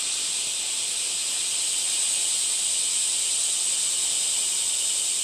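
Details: Cicadas fill the air with a steady, dense, high-pitched hiss-like drone that holds even and unbroken throughout, with no other clear sounds.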